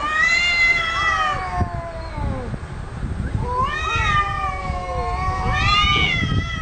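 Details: Cats arguing with each other: drawn-out wavering yowls with rich harmonics, one long call sliding downward, then two more rising and falling howls, over low background rumble.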